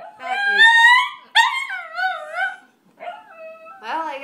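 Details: Shih Tzu, a pet indoors, howling along to violin practice as if critiquing it: long wavering tonal howls with rich harmonics in several drawn-out phrases, the last rising sharply.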